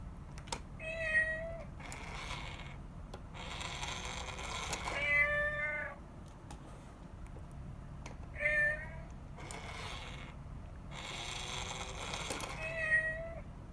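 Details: Rescued domestic cat mother with her kitten indoors; four clear harmonic meows, each about a second long with a steady or slightly falling tone, spaced several seconds apart, over a low room hum.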